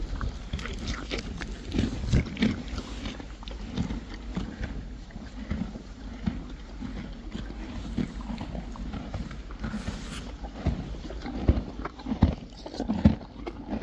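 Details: Friesian horses and foals chewing hay: continuous dry crunching, bites landing roughly once a second in an uneven rhythm, some sharper snaps, with a low constant rumble underneath and no other clear sounds.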